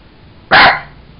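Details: A single loud, abrupt bark from Sugar, a Jack Russell Terrier kept as a pet, during a play session with a toy monkey indoors.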